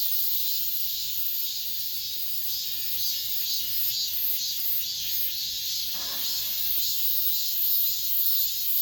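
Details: Late-summer cicadas singing in an apartment complex, a constant high-pitched shrilling that pulses evenly, with a brief lower noise near the middle.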